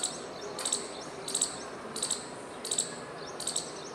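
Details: Squirrel chirping with tail moving as it calls, five quick bursts of piercing, doubled high notes spaced under a second apart, against faint background noise.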